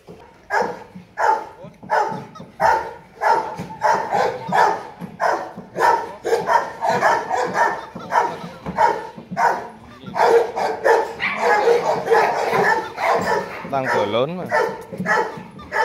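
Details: Gold Gervi, a 10-month-old male Rottweiler weighing about 40 kg at Gervi Kennel in Vietnam, barking in a steady series of deep, loud barks about one and a half per second, with a brief voice near the end.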